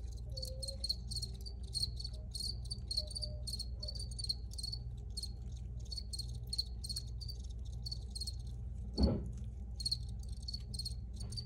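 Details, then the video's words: Crickets recorded outdoors, original free-to-use field recording: a steady, bright high-pitched chirping pulsing in rapid trills throughout, with a low background hum and one brief sharp knock near nine seconds. "Free Cricket Sounds"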